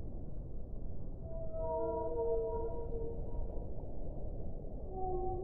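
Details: Whale heard underwater with long tonal moans and stacked harmonics rising and holding from about one and a half to three seconds, a shorter moan returning near the end, over a steady low rumbling background.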